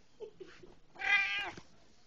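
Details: House cat greeting its returning owner with a single loud, strained half-second meow after soft muffled sounds, the owner's voice nearby.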